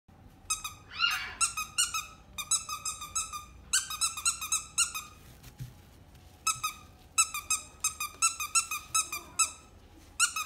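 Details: Pomeranian at the Inu no Ie pet shop, Kariya branch, indoors: rapid, sharp, high-pitched yaps in quick bursts, around twenty short barks across ten seconds with brief pauses between volleys, in a quiet small room.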